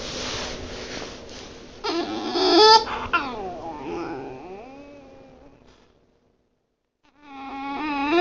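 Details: Bulldog giving a horrible noise: strained, wavering whimpers that slide downward, a pause of silence, then a rising nasal whine returning at the end, over a soft breathy hiss.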